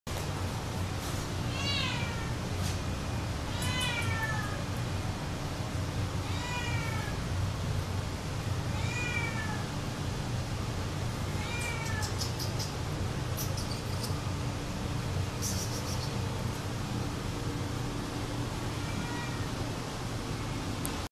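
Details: Domestic Shorthair cat at an adoption shelter, meowing repeatedly: about eight clear, rising-then-falling meows spaced roughly every two to three seconds, over a constant loud background hum and rustling.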